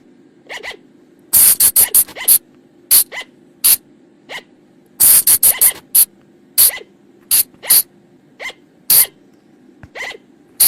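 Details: Calls of a colugo (flying lemur), called บ่าง or พะจง in Thailand, from the forest and played at night as a lure: clusters of rapid shrill shrieks alternating with quieter falling squeaks, above a constant low drone.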